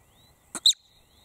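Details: One screaming marmot call: a quick, breathy high burst followed at once by a louder, piercing shriek, the whole call lasting a fraction of a second against quiet surroundings.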